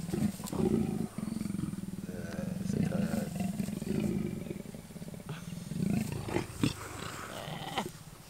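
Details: Male and female wild leopard pair near Kruger National Park, South Africa, the lazy male eventually mating; rolling low growl pulses in a sustained grumble, fading and swelling, with a few faint clicks.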